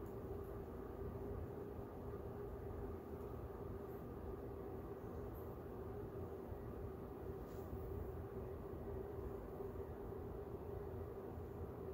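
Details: Steady low rumble of a moving train or rail car fills the whole stretch, with a faint hiss above it and no animal voices.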